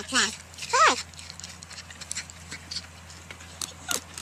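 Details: Porcupine letting out two quick, thin squeals that fall in pitch within the first second, followed by faint clicks and scattered soft squeaks against a constant low hum.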